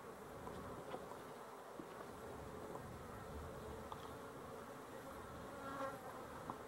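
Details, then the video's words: Low, even honey bee drone recorded 12-11-23, a constant dense hum with faint passing buzzes and no other clear sounds. "Honey Bees for Fun"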